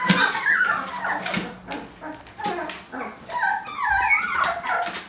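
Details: Several 18-day-old puppies attempting to get out of a kiddie pool; soft wavering whimpers come and go under rustling and thumping of the pups moving around.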